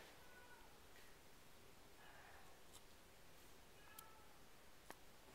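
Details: Nine-week-old RagaMuffin kittens from the Stars of Hollywood litter, indoors in a small room: three short, thin, high mews spaced over a few seconds, faint above a steady hiss, with a sharp click near the end.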